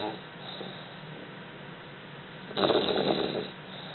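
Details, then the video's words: Two English Bulldog puppies napping snore softly, with one louder, rasping snore near the end. "English Bulldog Puppies Snoring"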